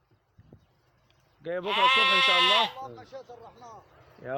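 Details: A loud, nasal sheep baa lasting about a second, preceded by faint clicks and followed by softer broken bleating sounds and the start of another call.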